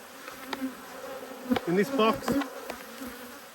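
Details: A honey bee from a hive upset by inspection, 5 March 2022, zips past with a brief wavering buzz that rises and dips in pitch, set against a quiet, constant hum of the colony and a few light clicks.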